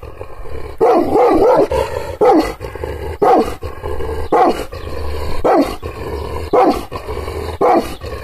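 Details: Angry Kangal, an Anatolian shepherd dog teased with hand movements but not touched, barks roughly once a second, each bark rough and falling in pitch, with a low steady hum underneath.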